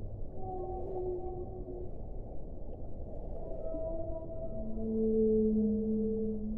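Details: A whale sings a series of mid-pitched tonal cries, some gently rising or sweeping, spaced through the recording. They swell into a louder sustained wail near the end, all over a hissing low background rumble.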